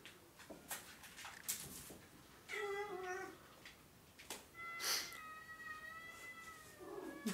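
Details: Oriental or Siamese cat giving drawn-out, wavering meows, a shorter nasal cry followed by a long wailing call lasting over two seconds, between soft clicks and taps.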